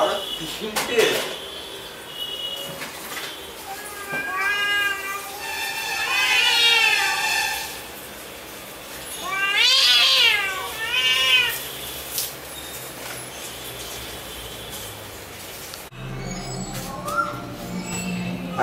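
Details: Angry cat in a fighting mood: a series of wavering, rising and falling yowls, drawn out and tremulous, in bursts around the middle, with people talking in Bengali and clattering noises around.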